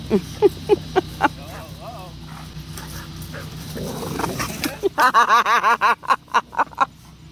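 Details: Giant Malamute Tonka and pitbull Capone play fighting indoors during a hurricane. A few short yips come first, then a rumbling stretch, then a quick run of harsh, wavering growl-barks. Human voices and storm noise are heard behind them.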